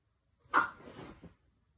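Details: A 13-week-old female lilac tan merle French Bulldog puppy, mad at not being allowed to chew her pee pad, gives a sharp, angry bark. It trails into a short, rough grumbling growl as a person says no.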